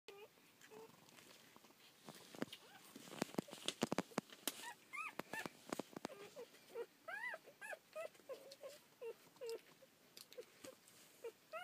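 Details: Newborn rough collie puppies, one day old, from a litter of seven born to Lemon and Taro on 22 May 2014, filmed 23 May 2014. Sharp clicks and knocks come first, then short arched squeaks rise and fall, some in quick pairs.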